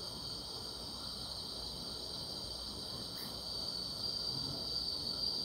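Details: On a summer night, grass insects fill the air with a continuous shrill ringing, several high tones layered into one unbroken drone over a faint low background rumble.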